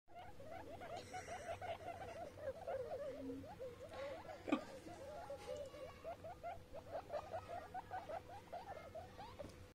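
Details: Baby guinea pigs playing with their father, giving a fast, continuous run of short squeaky pulses, several each second, with a steady faint hum underneath and one sharp knock midway.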